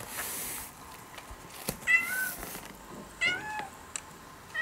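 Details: Brown-and-white ex-stray cat becoming a house cat meows in response to played-back cat voices; two distinct bending meows spaced about a second apart, with short clicks and light room noise between them.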